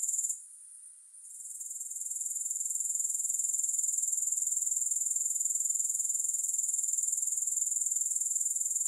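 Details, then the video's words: A high, sizzling grasshopper chorus that starts, pauses briefly, then builds gradually back to a steady rapid pulsing drone for the rest of the stretch, with no other sounds. "3 Hours of Grass Hopper Sounds"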